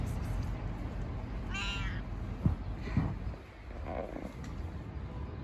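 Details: Stray cat living on the street, said to have Down syndrome, gives one short harmonic meow of under a second, rising then falling, over steady low rumbling street noise and a couple of thumps.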